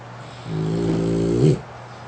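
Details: Lasha, a French Bulldog worn out from playing and sleeping with open eyes on a pink futon, gives one rough, buzzy snore of about a second, swelling and ending in a puff, above a constant low hum.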